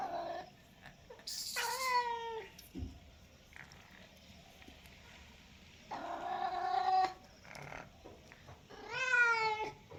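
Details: House cat uttering three loud meows spaced several seconds apart, each bending upward then down, with a brief click and scattered soft knocks between calls.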